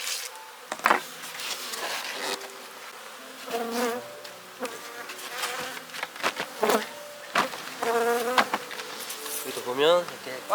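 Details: Honey bees in a hive during winter wrapping at the end of the season's colony management, with frames reduced and the feeder replaced. A droning hum with steady tonal lines, broken by sharp knocks and the clatter of hive handling.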